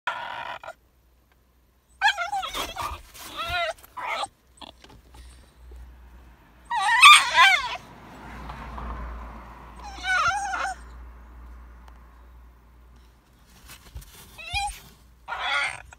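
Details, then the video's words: Basenji named Rod crying: wavering, high-pitched whines and yodel-like cries in short bursts separated by quiet gaps, with one longer, louder wail in the middle and a low steady hum underneath. "Basenji Rod qui pleur"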